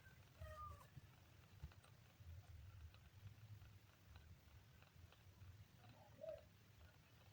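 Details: Kitten on day 3 giving a faint, thin meow with stacked harmonics near the start and a second short squeak near the end, over a steady low background rumble.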